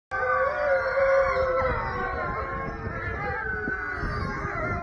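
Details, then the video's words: Wolf pack giving an evening howl at the end of the day: several long, overlapping, steady howls layered at different pitches, some sliding gently downward, forming a continuous chorus. "Wolf pack howl"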